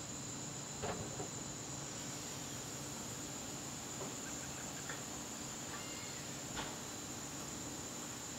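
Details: Continuous high, thin trilling of crickets in a garden on a September evening, joined by a few sharp clicks and faint short tonal notes over a low rumble.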